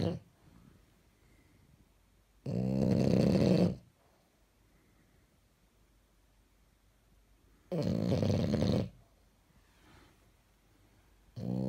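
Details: French Bulldog wearing pyjamas snores in its sleep indoors, two loud gravelly rumbling snores over a second each, separated by about four seconds of quiet breathing, with another snore beginning at the end.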